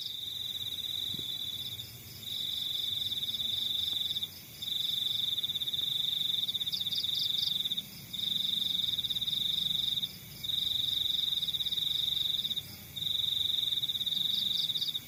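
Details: Crickets in the countryside trill in high, pulsing bursts of about two seconds, separated by brief pauses.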